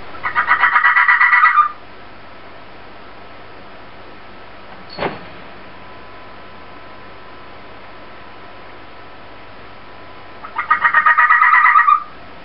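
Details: Inari, a fennec fox, making an odd noise: two harsh, rapidly pulsed buzzing bursts of under two seconds each, one at the start and one near the end, with near silence and a single faint click between them.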